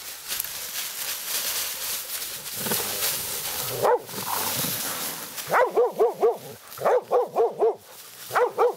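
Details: Laika barking at a badger during a night hunt, a young dog on its first badger encounter. Rustling and movement come first, then quick clusters of three or four sharp, yelping barks repeated in steady bursts.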